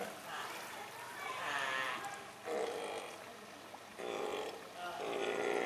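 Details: Newborn Steller sea lion pup, born 4 June at 8:45 in the sea lion pool at Otaru Aquarium to father Gantaro and mother Mamoko, sex unknown, 15–20 kg and about 1 m long, giving wavering, bleating cries, four in quick succession, over a steady background hiss.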